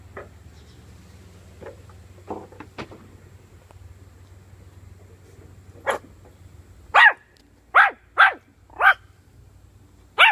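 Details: Puppy playing with bully sticks gives a run of sharp, high barks, four quick yaps close together after a few softer yips and thumps, over a low steady hum.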